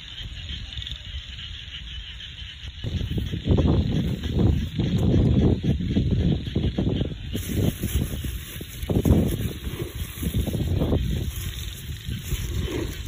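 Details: Rice-field frogs in the countryside, starting quietly then swelling after a few seconds into a thick mass of deep, pulsing croaks at about three to four per second, over a constant thin high buzz.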